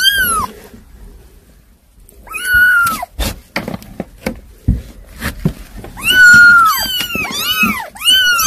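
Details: Unruly kittens give loud, drawn-out meows that rise then fall, first a single cry, then a short pause filled with clicks and taps, then several insistent overlapping wails near the end.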